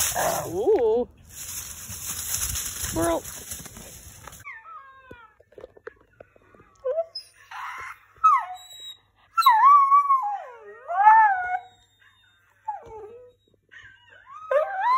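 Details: Scottish Terrier singing along, starting amid loud music that stops after four seconds; then wavering, sliding howls and whines rising and falling in pitch, broken by short pauses.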